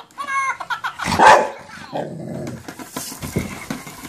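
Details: Golden retriever dog barking in reaction to a minion toy met for the first time, indoors; a single loud, harsh bark bursts out midway, preceded by tonal toy-like voicing and followed by softer scuffling sounds.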